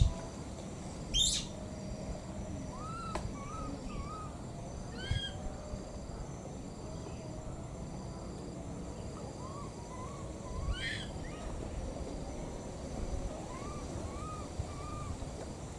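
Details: Two wild baby monkeys calling for their missing mother: short arched, whistled coos with harmonics, rising then falling, given in small bursts of two to four every few seconds over a low rumbling background.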